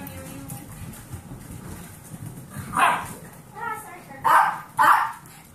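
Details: Household with foster dogs, 8-year-old Pomeranian Kirby and 8-week-old Golden Retriever mix pups: a lone yap, a softer tonal yelp, then two loud sharp barks half a second apart over low background murmur.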